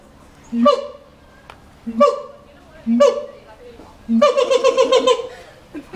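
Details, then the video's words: At the LA Zoo, a caged monkey gives three separated low-then-high calls, followed by a rapid pulsing chatter of repeated notes. "monkey making funny sounds"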